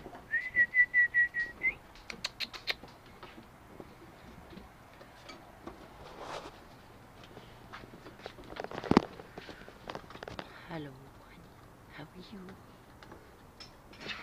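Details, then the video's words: Goldendoodle puppies, eight weeks old, playing indoors: a quick run of high, thin whining yelps fills the first two seconds, followed by quieter scuffles, faint squeaks and a woman's soft talking. "Goldendoodle Puppies Playing 8 weeks old"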